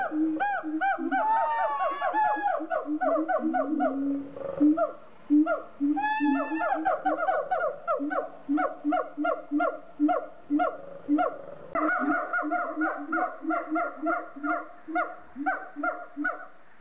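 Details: A siamang at Lagos Zoo, Western Algarve, Portugal, in 2014, calls with loud, ringing hoots and rising swoops that settle into a steady, rhythmic barking series.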